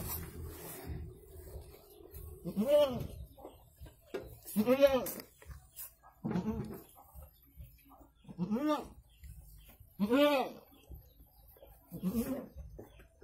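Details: Goat bleating during a birth that produces two kids: a series of six wavering, nasal bleats arching up and down in pitch, arriving roughly every one and a half to two seconds, with soft low rustling underneath.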